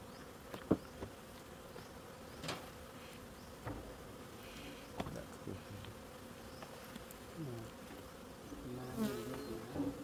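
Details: Bees hum during a honey harvest, a continuous even drone holding one pitch throughout. Occasional clicks, taps and faint distant voices sound in the background.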